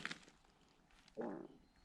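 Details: A wood frog in spring woodland during morel-hunting season gives a single brief, hoarse, quacking cluck with a rough rattling texture, a soft click or footstep just before it against a quiet background.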